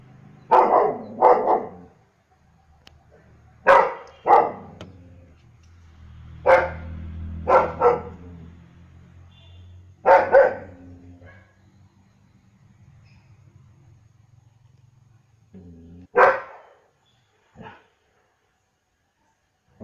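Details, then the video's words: Repeated barking from a German Shepherd dog: deep barks in pairs and short bursts every few seconds, with low rumbling between them, then two final isolated barks after a pause. "German shepherd dog barking"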